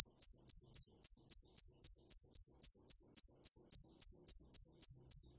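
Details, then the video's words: A dế mèn cricket sings sharp, high-pitched chirps at a fast, even pace of nearly four each second, each pulse bright and clipped, with a quiet background. "Tiếng dế mèn hay nhất 2017"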